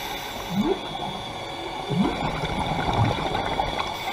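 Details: Underwater near the Carthaginian Shipwreck in Maui, Hawaii, a humpback whale drives past divers, giving two quick rising chirps, then a low short grunt, set against constant bubbling water and diver breathing.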